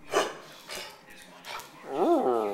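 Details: Pet dog at home giving three short barks, then a longer, rising-and-falling whine-like cry at the end while its owner talks to it.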